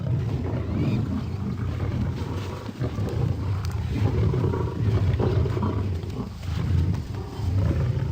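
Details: Wild lions fighting: harsh, noisy snarling and roaring packed low and dense, surging and easing without a break through eight seconds, with hissy broadband noise above.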